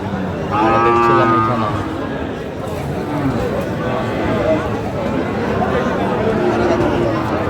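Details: Sahiwal bull calves at a cattle market on 25 October 2025: one clear, tonal moo lasting about a second near the start, then a dense murmur of crowd chatter and market noise.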